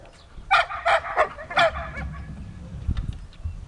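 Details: Siberian Husky Dexter at search and rescue training, producing four loud barks within about a second, followed by low rumbling background noise.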